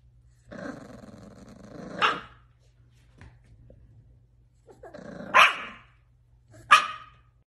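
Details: English bull terrier indoors: a rough, drawn-out growl building into a sharp bark, then after a pause two more short, loud barks preceded by brief growls, in a small room with a steady low hum.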